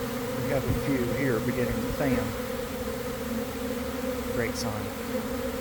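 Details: Honey bee swarm settling, workers joining the cluster and some fanning, around one in the afternoon in a garden; a constant steady buzz overlaid by several short chirping bird notes that sweep up and down.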